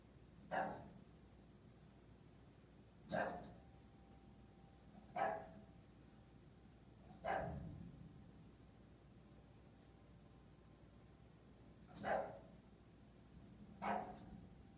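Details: English Bulldog giving single short gruff barks, six spread over about fifteen seconds at uneven gaps, indoors with a faint steady hum.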